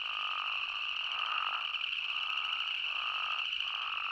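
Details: Arizona spadefoot toad chorus, several drawn-out bleating calls rising and falling, overlapping a constant shrill background drone of many callers.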